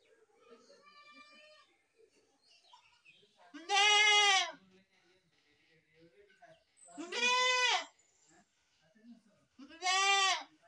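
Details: Goat kid giving three loud quavering bleats, each near a second long, after a softer nasal call at the start; quiet murmurs fill the pauses.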